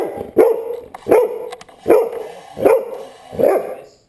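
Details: Dog giving a steady run of five loud, sharp barks, evenly spaced less than a second apart, each a short mid-pitched bark with no other clear sounds.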